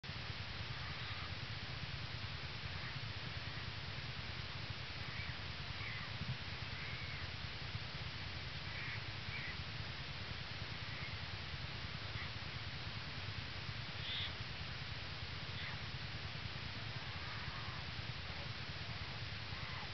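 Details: Yearling American black bear Hope purring on top of her mother Lily in their den, early morning 22 January 2011, North American Bear Center, Ely, Minnesota; Lily shelters two newborn cubs from the cold. A steady low pulsing hum runs throughout, with faint higher squeaks.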